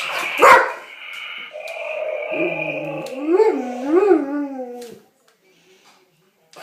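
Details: A dog wary of its newest dinosaur toy gives a sharp yip, then a drawn-out, wavering whine that rises and falls in pitch twice before stopping, followed by quiet.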